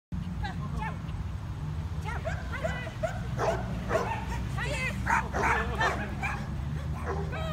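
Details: Pomeranian during agility training giving high, bouncy yips and short barks in quick, uneven succession, around two and a half per second, with a person talking over the barking and steady low hum behind.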